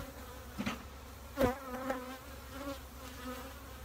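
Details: Honey bees at a bee shed: a low, steady humming drone with clear overtones, broken by a louder buzzing bee passing close by near the middle and fainter passes before and after.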